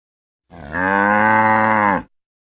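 A cow gives a single long, steady moo lasting about a second and a half.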